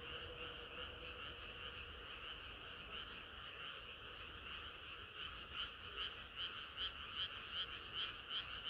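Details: Many frogs singing together on a hot summer night, a continuous croaking chorus that grows louder and more sharply pulsed in its second half, with a faint lower note early on.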